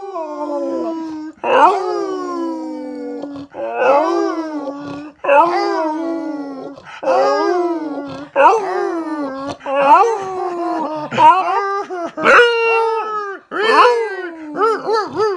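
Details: A singing dog howls along with music in a run of wavering, moaning howls that slide up and down in pitch.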